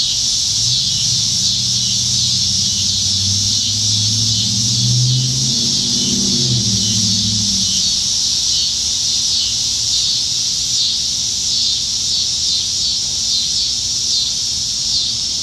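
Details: Cicadas droning from the trees on a July 2019 summer evening in Nebraska: a steady intense high buzz throughout while a vehicle rumbles past at mid-clip, rising and fading away.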